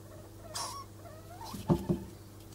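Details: Degus mating, the male marked by white fur around the neck, give short rising squeaks and faint chirps, followed by two soft thumping patters, with a steady low hum behind.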